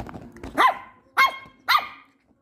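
A Miniature Schnauzer puppy gives three sharp, high barks about half a second apart.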